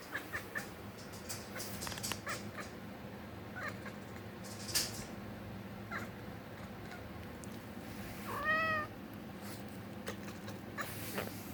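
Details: Kitten Willow makes strange noises on seeing birds: scattered soft clicks and ticks, then one short, arched, high meow near the end, over a low steady background hum.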